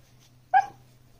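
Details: A Pembroke Welsh Corgi puppy begging for attention at the owners' dinner lets out one short, sharp yip, quickly fading.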